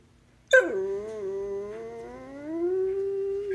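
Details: Very vocal pet basset hound indoors in a small room, trying to tell its owner something: one long sustained howling moan that starts with a sharp onset, dips, then slowly rises and holds steady for about three seconds.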